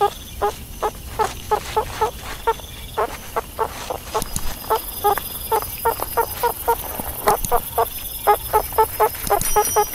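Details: A meerkat chatters in quick, irregular short chirps, several per second at times, keeping a nasal, harmonic yelping tone throughout against a light background hiss.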